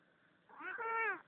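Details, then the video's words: Pet cat indoors at night, lying in front of a heater and disturbed while trying to sleep; recorded on a phone. One drawn-out harmonic meow lasting about 0.7 seconds, rising then holding steady and fading at the end, over faint room hiss. "Funny cat talking"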